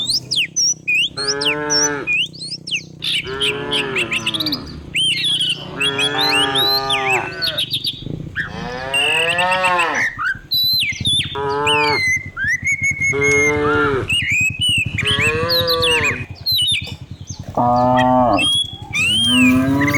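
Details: Dozens of cows running downhill in the morning as they are herded through a quiet village landscape; repeated overlapping moos, roughly every two seconds, wavering and harmonic, amid busy twittering birds.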